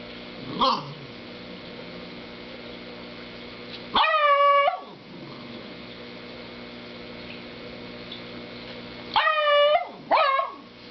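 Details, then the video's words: Dog barking at a snoring cow: a few high, drawn-out yelping whines with strong harmonics, one short burst early, then a longer cry around four seconds and a double cry near the end. "Barking at Snoring Cow"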